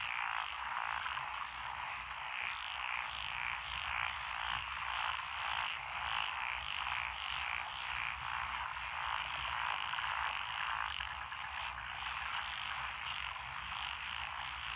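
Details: Countryside lotus paddies in Echizen, Fukui, Japan, recorded 2021-06-12: a massed frog chorus of mixed species, thick overlapping croaks forming a fast pulsing drone, with brighter bursts recurring roughly twice per second.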